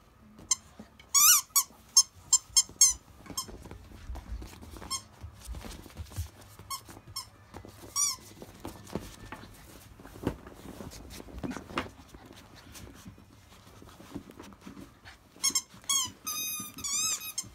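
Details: Fifty-two-day-old Akita pups of the mother Jun, nursing mostly on her milk, the biggest past 7 kg; sharp squeaky yelps in a quick cluster early on, quiet rustling and bumps through the middle, then another burst of high whines at the end.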